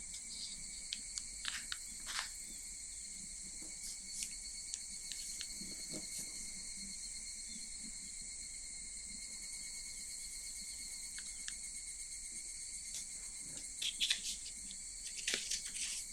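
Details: A continuous high-pitched cicada drone recorded in Japan's summer, unwavering for the whole stretch, with occasional short rustling and crinkling noises, busier toward the end.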